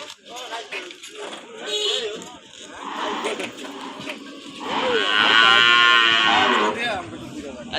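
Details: Cattle at a cattle and buffalo market in Amraid, Bangladesh, with crossbred cows shown; a long harmonic moo swells in the second half amid crowd chatter, speech and background music.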